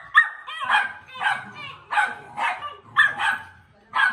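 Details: Play-fighting American Pit Bull Terrier puppies: choppy, high-pitched yapping barks, roughly two a second, uneven in spacing and loudness, one short yelp standing out near the start.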